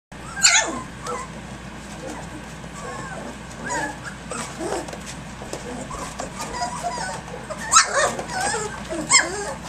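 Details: Three-week-old puppies from the dam Egypt, playing rambunctiously at six in the morning: scattered high squeaky yips and whimpers, a few sharp cries near the start and end, with faint human speech and rustling.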